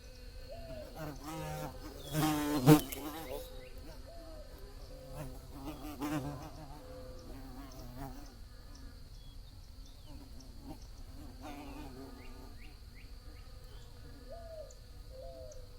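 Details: A bee buzzes loudly past at about two to three seconds, a rich rising-and-falling drone. Quieter wavering buzzing follows, with a steady high whine and scattered faint chirps behind.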